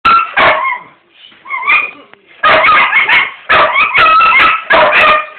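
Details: Pit bull barking in loud clustered bursts, rich harmonic barks broken by a short rising whine near the middle, then rapid back-to-back barks to the end.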